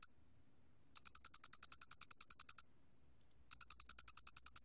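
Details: Loxoblemmus doenitzi cricket recorded by Korea's National Institute of Biological Resources in 2020: two bursts of rapid, evenly spaced high chirping pulses, about eighteen in the first series and a dozen in the second, against a silent background.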